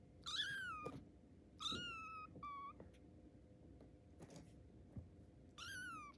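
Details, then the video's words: A tiger-striped kitten learning to walk lets out four thin, high-pitched meows, each sliding downward, spaced a second or more apart, with light tapping and shuffling between calls in a quiet room. "Tiger Cat Kitten & Co - First Steps Recorded"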